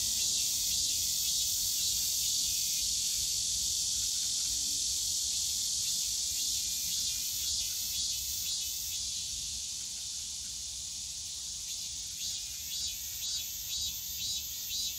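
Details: Summer cicada chorus in the bamboo forest of Yongsan Family Park: a steady shrill buzz that softens slightly midway and then breaks into quick rhythmic pulses near the end, over faint low background noise.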